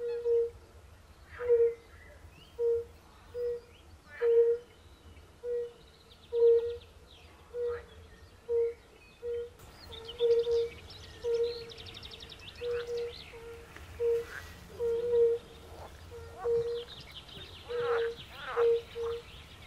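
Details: European fire-bellied toads calling at a forest pond alongside pool frogs: soft, mellow hooting notes, evenly pitched, repeated roughly every second from several callers, with rattling and chattering frog calls joining higher up in the second half.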